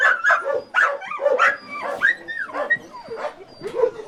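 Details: Dog being rescued with its collar embedded in its neck, crying: high, drawn-out whines that rise and fall in arcs, broken by short yelps, one after another with barely a pause.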